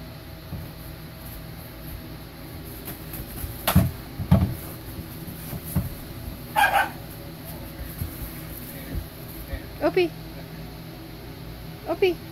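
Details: Dogs Ginger and Opie at play, Ginger called just a little girl: short sharp yelps scattered through, then thin high whines rising and falling near the end, over a low rumbling background with occasional soft human voice.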